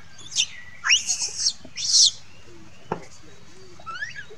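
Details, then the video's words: Upset monkey crying for its mother: a run of shrill, strained screams clustered in the first two seconds, each sweeping up sharply, then quieter short squeaks and a soft tonal sound near the end. "Monkey Lucie Crying Call mom"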